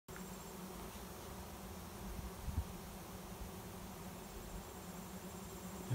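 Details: Massive swarm of honey bees arriving at a swarm trap behind a garage, flying in to settle in a new home; steady, dense low hum with a droning band throughout, a few soft knocks near the middle.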